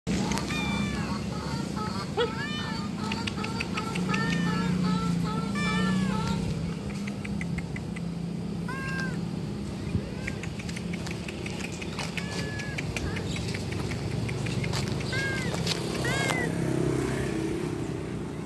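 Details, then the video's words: Stray street cats being fed by the roadside give many short rising-falling meows, often several in quick succession and overlapping, over a constant hum of passing traffic and occasional human voices. "street cat sound lovers"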